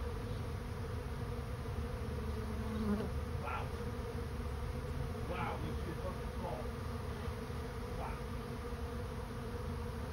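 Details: Honey bees of a swarm going into a swarm trap, heard as a softer, steady low buzzing hum with a few short higher whines from individual bees flying past.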